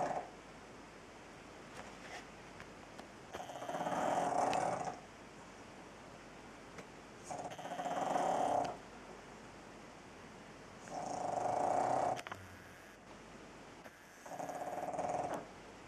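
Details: Pug snoring in a small room, four long rumbling breaths, each about a second and a half, recurring roughly every three to four seconds with quiet gaps between them.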